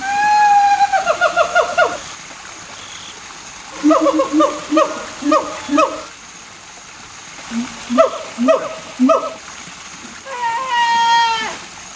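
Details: Siamangs, a captive pair practising their song together at a zoo in Turin, male's throat sac inflated; a long descending wail, then bursts of rapid rhythmic barking hoots in series of four to five, ending in a rising whoop.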